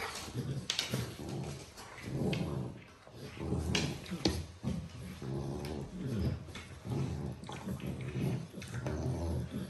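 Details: Cane Corso in a playful mood: low, rough growling grumbles rising and falling in repeated bursts every second or two, with sharper scuffling clicks and thumps throughout.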